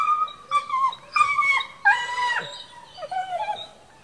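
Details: Dogo Argentino at a professional breeding kennel: a series of high, tonal whining yelps that rise and fall and bend downward, about six calls over four seconds, with a faint hiss in the background.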